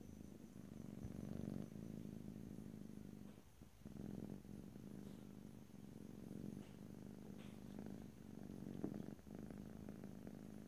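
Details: Continuous low, rumbling purr from a pet cat recorded ear to ear, pulsing in long breath cycles with a brief dip near four seconds and faint soft clicks.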